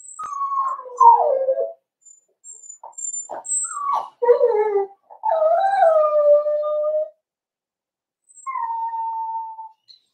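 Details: Four-week-old Cavalier King Charles Spaniel puppies in the Red Barn Cavaliers puppy pen, meeting other dogs and trying puppy mash. Drawn-out whining whimpers slide downward, then hold steady, broken by short squeaky yelps, with several cries across ten seconds.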